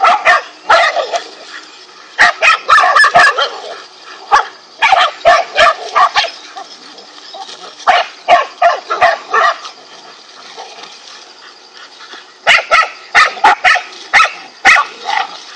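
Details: Several dogs, part of a pack of five, bark while attacking a king cobra: clustered bursts of loud, harsh barks in quick runs of four to six, separated by short quieter gaps.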